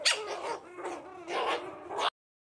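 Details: Puppies playing together give quick, high, harmonic yips and squealing barks in rapid overlapping bursts for about two seconds before the sound cuts off.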